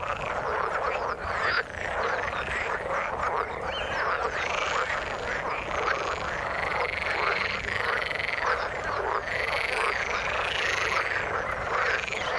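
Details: Frogs calling in the water, a dense overlapping chorus of rapid croaks and rasping pulses, some rising trills around the middle, steady throughout with no other clear sounds.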